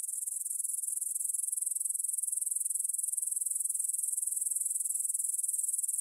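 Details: Evening chorus of grasshoppers in a field by the Svensky monastery, Bryansk, Russia, 9pm, 6 September 2020, Tascam DR-44WL stereo recording; high-pitched, fast-pulsing buzzy trill, continuous and even throughout, with no other sounds.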